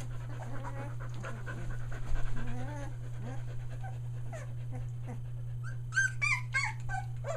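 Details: Litter of three-week-old Aussie puppies near Mooresville, North Carolina: soft panting and faint wavering whines give way to a quick run of sharp, high yelping cries near the end, all above a constant low hum.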